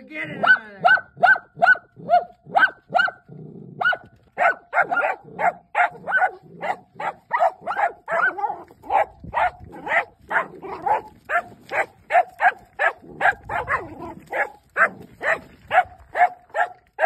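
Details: Dachshunds catching their first groundhog bark in rapid, sharp bursts, roughly two or three each second, almost without pause.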